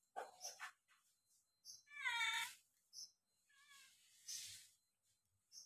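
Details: Pair of kittens sharing a meal, one giving a strong, bright meow in the middle and a brief, softer mew afterwards, amid lapping and chewing clicks.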